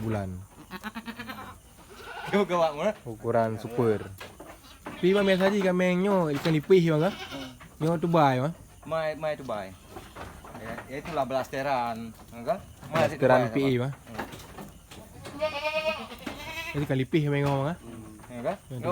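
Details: Penned goats at Indatu Farm, Lhokseumawe, Aceh: several wavering, quavering bleats rise out of a long stretch of people talking, with bleats and speech overlapping throughout.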